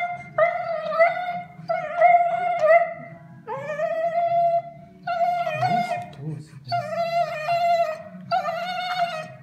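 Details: A Siberian Husky, just after anesthesia, howls ("sings") in a string of drawn-out, wavering tones, each rising slightly then holding steady. Finding: Siberian Husky.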